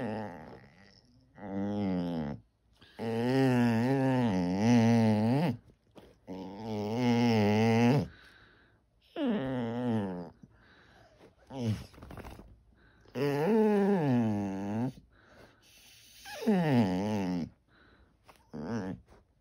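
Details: A white Basset Hound named Sugar, wanting attention, lets out a long series of low, drawn-out groaning moans in a small room. About seven wavering calls rise and fall in pitch, some lasting two seconds, with short pauses and softer grunts between.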